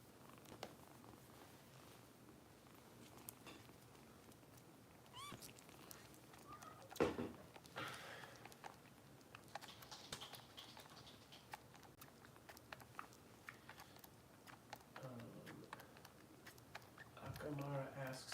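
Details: Bottle-fed foster kitten Harper from Kitten Rescue in Los Angeles, in a small indoor room; quiet purring and sucking clicks give way to thin, rising meows near the end, with rustling and handling noise throughout.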